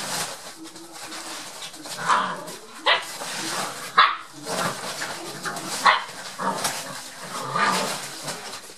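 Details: Seven-week-old Rottweiler puppies Bolle, Bona and Biggy playing together, giving short yips and barks at irregular intervals of a second or two over a steady rustling, scuffling background.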